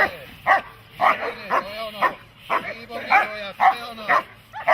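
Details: Protection-training dog, German Shepherd or Malinois type, barking steadily at roughly two barks a second, each bark a sharp arched burst, with a person talking in the background.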